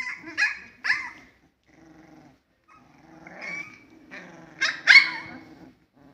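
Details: Husky puppies 21 days old playing and fighting together, giving sharp high yelping barks with rising and falling squeals, in two bursts, with low growling underneath.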